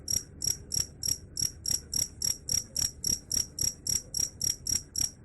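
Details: Shrill cricket chirping in a steady rhythm, short bright pulses about four every second, faint low noise underneath.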